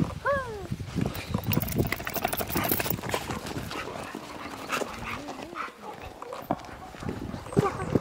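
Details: Jindo dog, Por or Ami, walking in fresh snow on a rural winter outing: one short, arched yelping bark right at the start, followed by rustling, crunching steps and scattered voices.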